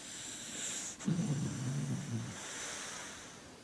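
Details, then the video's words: A dog named Tia Maria snoring: a single low, rough, rumbling snore lasting just over a second, preceded by a sharp click, over a steady high hiss. "Tia Maria snoring dog"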